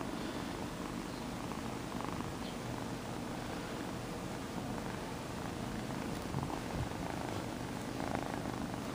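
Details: Kitten Sonny purring for the camera indoors, a loud motor-like purr: steady low rumbling pulses running throughout without a break, with faint rustling near the end.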